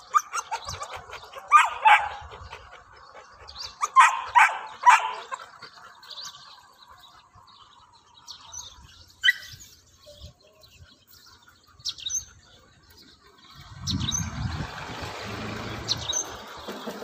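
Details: Playful English pointer puppies out on a morning; bursts of sharp barks come in pairs and threes early on, sparse yips follow, then a stretch of low rumbling noise closes.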